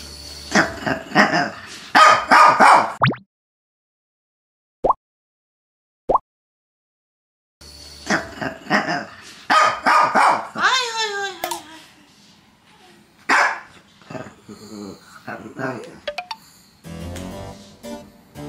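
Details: Pet dogs of a household with a Chihuahua, Shih Tzu, Miniature Pinscher and Toy Poodle, complaining to pressure their owner before he leaves for work; bursts of short barks and yips, a silent pause, then whiny pitch-sliding grumbles and scattered barks.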